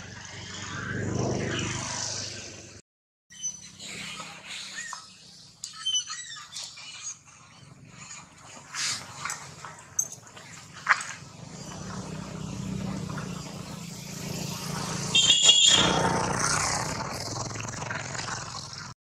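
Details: Infant monkey Rex crying loudly while his mother Rose repeatedly rebuffs him during breastfeeding; brief high, wavering squeals come in scattered bursts, with a louder tonal cry near the end, over steady background noise and rustling.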